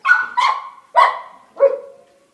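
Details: American Bully dog indoors while eating pork rinds, told to sit just before, gives four loud, sharp barks in under two seconds, the last one lower and drawn out.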